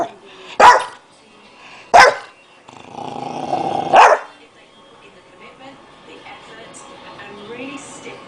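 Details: Dog barking in sharp single barks, three loud barks in the first four seconds with a short rough growl-like burst between, then quieter background sounds.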